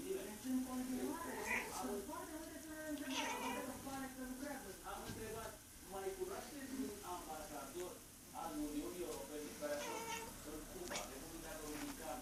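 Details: Female cat talking to her imaginary friend indoors, giving a run of drawn-out, wavering meows that rise and fall in pitch, some short and chirpy, with brief pauses and a human voice mixed in.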